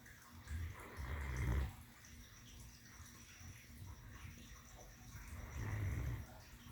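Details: A female Great Dane lying on her pillow snores deeply, with low rumbling breaths spaced several seconds apart.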